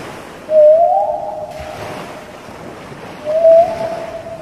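A whale gives two drawn-out tonal calls that rise and hold, over a low rumbling sea.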